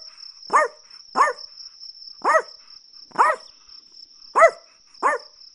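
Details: ['Six sharp, high-pitched barks from a Chihuahua, unevenly spaced with gaps of half a second to a second, against a steady faint high tone.']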